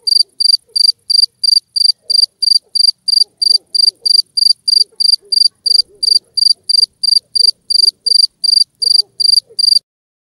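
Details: Two-spotted cricket giving a steady run of bright, pulsed chirps, roughly three per second at a very even pace for about ten seconds, with near silence behind.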